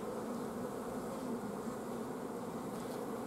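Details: Honey bees humming at their hive in an apiary, 14 June 2016, with the queen stopped from laying because food and forage ran short; a continuous low, dense buzzing drone, unchanging throughout.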